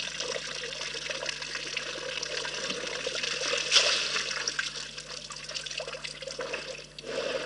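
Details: Elephants drinking at Rosie's Pan, recorded on a live wildlife camera: steady splashing, sloshing and trickling water with a louder splash midway.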